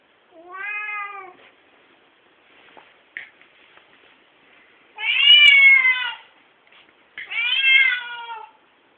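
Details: An angry Siamese cat, its stump of a tail moving fast, gives three loud, drawn-out meows, harsh and strongly harmonic, each rising then falling.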